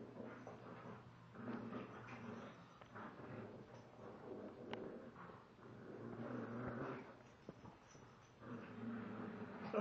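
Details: Male Shiba Inu of 32 lb and female Chinese Pug of 23 lb in a play fight and tug of war indoors; low rumbling growls and snarls run throughout, rising and falling in bursts, with a person talking faintly.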